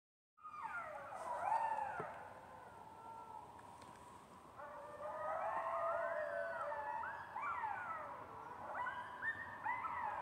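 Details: Several coyotes (Canis latrans) howl together, long wavering cries overlapping with yips and rising and falling wails.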